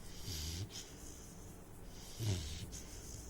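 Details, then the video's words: Sleeping Saint Bernard puppy snoring: two low, rough snorting breaths about two seconds apart, each with a soft airy hiss, in a quiet room. "THE SNORING SAINT BERNARD PUPPY"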